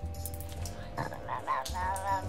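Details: Chausie Astrid in an enclosure at the Sauvage cat territory, barking at her neighbours, the caracals; a run of short, throaty, harmonic yelps in the latter half over a steady low hum.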